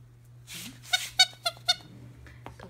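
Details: Lil Mac, a two-month-old Scottish Terrier puppy playing with his ball, gives four high, squeaky yelps roughly a quarter second apart after a soft rustle, over a steady low electrical hum.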